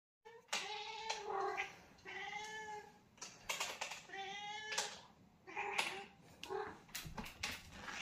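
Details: Pet cat meowing at feeding time indoors: a run of repeated clear, drawn-out meows, some rising then falling, about one every second, with soft rustling between calls.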